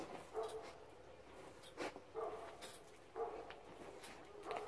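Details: Central Asian Shepherd Dog (Alabai) barking: four short, hoarse barks spaced about one and a half seconds apart, fairly faint against a steady background hiss.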